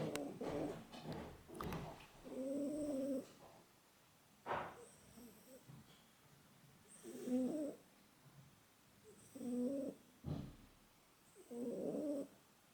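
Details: Pukis, a male pet cat, snores while asleep: soft, rough breaths recur every two to three seconds, with a few sharp knocks and rustles early on.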